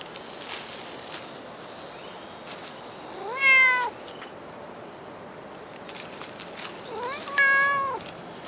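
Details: Cat at Dockyard Garden on an August 2016 morning, giving two spaced meows about four seconds apart, each rising then falling, against a low hum of outdoor ambience with faint bird chirps.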